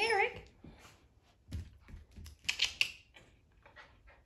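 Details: Young male poodle puppy Eric, indoors in a small room, playing with other puppies; a brief wavering high whine opens, then soft scuffles, light clicks and a few short sharp squeaks.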